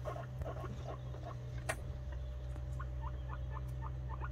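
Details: Guinea pig boar Ragnar being introduced to Snow, a white sow, on a homestead; soft, squeaky, short rising chirps come in a quick series in the second half over a steady low hum and faint rustling.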